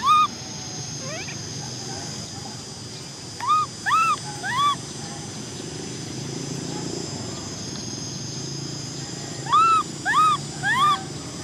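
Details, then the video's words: An orphan baby macaque named Cola crying to ride a bike: a cluster of three short arched wails, a long quiet stretch, then three more similar cries near the end. "Cola monkey cries because she wants to ride a bike! Baby Cola cries"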